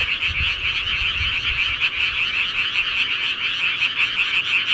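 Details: Frogs calling at night in the countryside: a dense, steady chorus of many overlapping rapid trilling croaks forming a continuous shimmering wall of sound, with faint low rumbles underneath.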